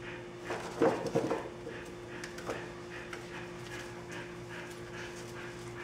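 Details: Puppies on day 27, dirty and waiting for their baths, give a short cluster of high, wavering whimpers near the one-second mark, then fainter scattered squeaks over a steady electrical hum indoors.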